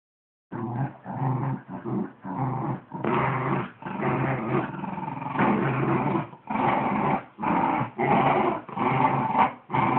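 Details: Wire Fox Terrier growling while fighting over a sock indoors; rough, rumbling growls in bursts of about half a second to two seconds, broken by brief pauses, steady and insistent throughout.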